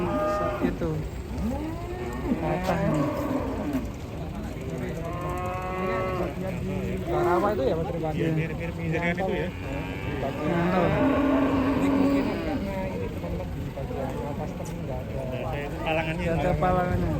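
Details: Injured cow with a broken leg after jumping from a truck calls in long, low, harmonic moos again and again, mixed with music, clapping and human voices nearby.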